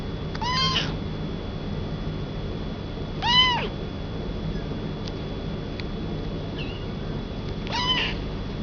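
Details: Male Munchkin kitten born 20 June 2012, in a pet shop in Yokosuka, Kanagawa, Japan, giving three clear mewing cries, each short with a rising then falling tone, spaced about three seconds apart over a steady low background hum.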